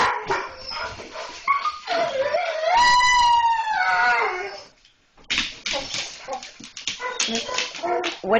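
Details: German Shorthaired Pointers, pet dogs, excited at seeing a cat outside: sharp yipping barks, then a long, drawn-out high whine that bends downward, followed by more rapid irregular barks, with a woman talking about the kitty over them.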